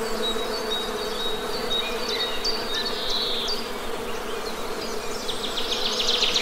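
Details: Honey bee buzzing as an unbroken low drone, with thin high bird peeps throughout and a busy flurry of bird calls at the end.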